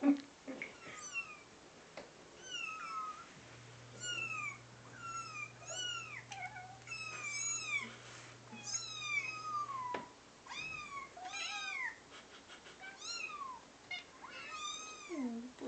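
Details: Two pet cats, a brown fluffy one and a gray one, meowing in concern at kitten sounds played from a phone indoors; many rising-falling meows and high kitten mews overlap continuously, with a steady low hum in the middle.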